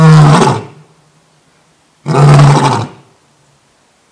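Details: A new adult male lion at Thoiry Zoo, France, roaring: two loud, deep, rough bursts about two seconds apart, each roughly three-quarters of a second long with a strong low tone, separated by quiet pauses.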